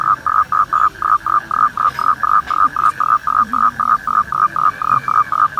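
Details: Toads during mating give a steady series of short, mid-pitched croaking pulses, about four each second, evenly spaced and loud, with faint background rumble.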